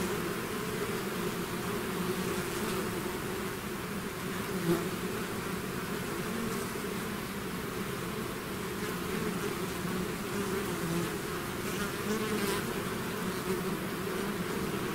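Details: Bees swarming out of the hive create a long, even roar of buzzing, overlapping hums from many individuals, with occasional brief louder passes of single bees close by.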